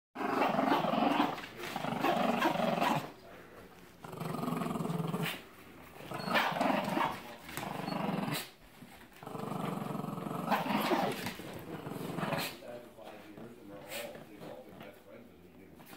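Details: Two dogs named Brick and Merry, a Mastiff and a Terrier, growling as they play-fight: rough, rasping growls in bursts of one to three seconds, separated by short quiet gaps, with some scuffling noise.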